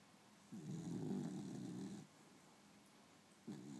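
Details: Princess, a pet beagle, snoring through her afternoon nap: a rough, rumbling snore lasting about one and a half seconds, a quiet pause, then the next snore beginning.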